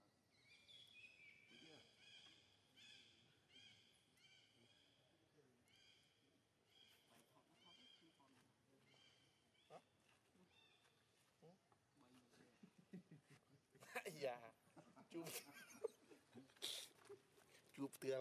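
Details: Young monkey Leo screams as his mother Libby abuses him, then runs to a big monkey. High, harmonic screeches come in short repeated bursts through the first ten seconds, followed by loud clattering and scuffling noises.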